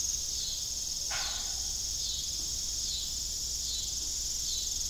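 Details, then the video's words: Evening crickets at an old farm with a broken windmill: a dense, continuous high trilling chorus with slight pulsing, interrupted once by a short low knock. "Evening Cricket Sound"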